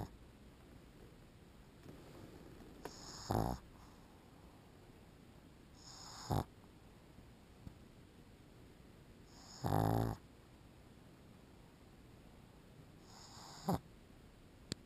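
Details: Pug dog snoring while asleep, with low, rough, rasping breaths that come roughly every three to four seconds. Four snores are heard against a quiet indoor background with a faint steady hiss.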